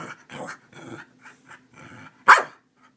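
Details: Keeshond rousing its owner each morning, acting as an alarm clock; a run of huffing, grumbling vocal bursts ending in one sharp, loud yelp-like bark, then quiet.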